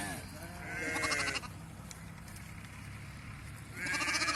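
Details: Sheep at a PPR vaccination of local flocks: a wavering bleat opens, then a quiet stretch of murmured voices, before another drawn-out bleat rises at the end.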